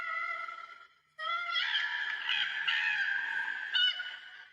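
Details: Wailing, screaming distress call of a koala, given when bickering with another koala or alarmed by another species; a harmonic wail, a brief pause, then a long harsh rasping scream with a rough, bleating texture.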